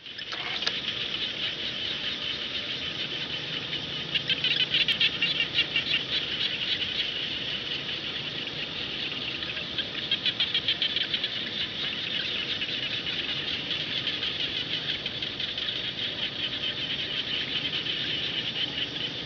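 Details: Frogs, called khiat jana, calling across rice fields: a dense, steady chorus of high, rapid pulsed croaks with rattling bursts rising above it around the fifth second and again near the tenth, running without pause throughout.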